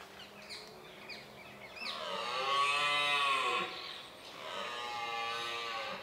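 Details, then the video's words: Rutting red deer at sunrise in Richmond Park, 5 October 2014, captured with a Nikon D7100. After a quiet start, two drawn-out, harsh roars follow each other, the first lasting almost two seconds and the second fading at the end. "Red Deer Rut"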